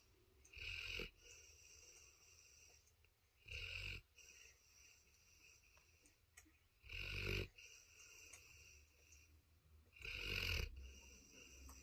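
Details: A Cane Corso dog snoring while asleep; four loud, rough, breathy snores, each about half a second to a second long, coming every three seconds or so, with quieter breathing between them.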